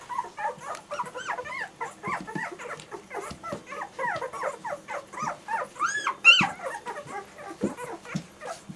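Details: Litter of German Shorthaired Pointer puppies keeping up a steady chorus of short whiny squeaks and whimpers, overlapping rapidly, with one louder shrill yelp standing out near the end.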